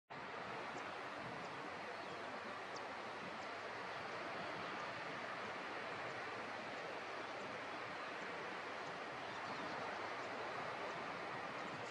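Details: Steady broadband rushing like surf or running water fills the recording, with no animal call standing out.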